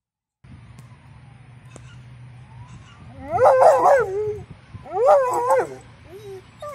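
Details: A female Alaskan Malamute gives two wavering, yodelling bark-howls, calling out to other dogs she is excited to play with, to get their attention, though they ignore her.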